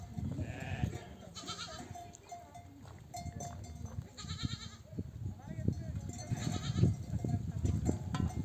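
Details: Mother sheep of a nomadic flock bleating to nurse their lambs on returning from desert grazing among oak trees; several quavering, wavering bleats overlap at irregular intervals above a steady low rumble of trampling hooves, with faint human voices.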